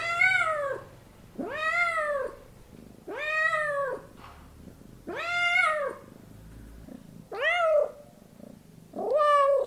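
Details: Six evenly spaced meows from a house cat, each a bright, bowed wail under a second long, repeated roughly every one and a half seconds, with low hum between calls.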